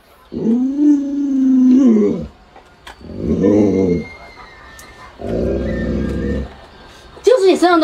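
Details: Luoluo, a household Alaskan Malamute, howls at its owner, who is ill and unable to rise. One level, drawn-out note opens, then two rougher, grumbling moans follow, separated by short quiet gaps. A sharp rising whine closes the sequence.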